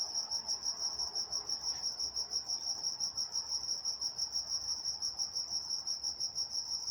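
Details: Crickets at night in Walnut, California, trilling steadily in a high, pulsing band, a rapid continuous chirp about three beats per second with a faint harmonic above; soft low background hum, no other animals.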